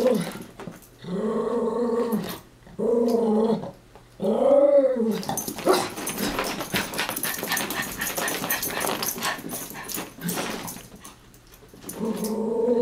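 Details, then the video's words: Chihuahuas Taco and Santi at play, chasing and wrestling; three drawn-out harmonic growls with small pauses, then several seconds of scuffling and broadband rustle before another growl at the end. "Chihuahua Games"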